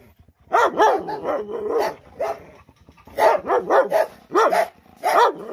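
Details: Dogs barking loudly, a run of rapid harmonic barks in two bursts with a short pause between, several yaps close together, clean with no other sounds.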